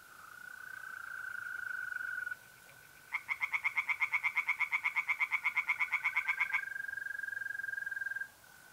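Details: Night chorus in mid-April in north-eastern Italy: a continuous high mole cricket trill, a short pause, then singing tree frogs in a pond give a few seconds of quick, harsh, even pulses before the cricket trill carries on alone.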